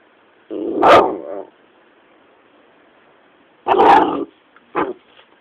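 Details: Patterdale terrier pup barking at a caterpillar: two harsh, full barks about three seconds apart, each lasting roughly half a second to a second, followed by a short sharp yip, with quiet pauses between.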